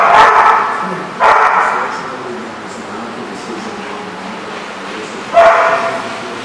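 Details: Dog barking: three sharp, loud barks at the start, after about a second, and near the end, separated by a quieter stretch of low background murmur.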